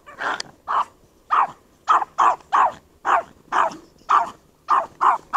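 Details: Dogs during an attack by a shepherd and another dog on a Chihuahua; sharp, loud barks repeated roughly twice a second, about eleven in a row, with a woman talking between bursts.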